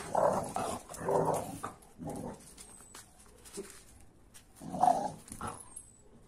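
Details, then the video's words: An AmStaff and a Kuvasz playing roughly together: a run of rough, throaty growls in bursts of about half a second to a second, separated by short quiet gaps, with scuffling in between. "AmStaff VS Kuvasz 8 Minutes Of Rough Playing"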